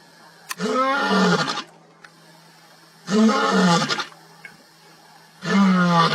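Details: Lion roaring, deep rumbling calls in three long bursts of about a second each, spaced roughly two seconds apart, with a steady low hum underneath.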